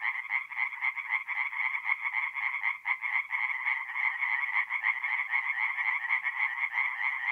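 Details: Tree frogs calling in chorus at night in a forest pond, mid-April, north-east Italy; loud, hurried rasping croaks of several frogs overlap, with one brief dip in the din near the middle.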